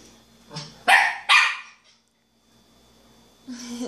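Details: A five-month-old female miniature schnauzer pup barks at her own reflection in a mirror for the first time. Two sharp, quick barks come close together, then a pause and the start of another.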